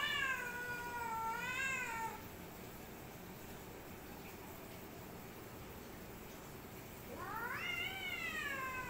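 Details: Two cats, one black and one white, facing off in a fight; a long undulating yowl, a quiet gap of several seconds, then another rising wavering cry.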